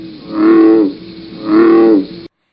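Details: An American bullfrog gives two deep, resonant, drawn-out croaks, a low growl-like territorial call made with the mouth closed to drive off other frogs.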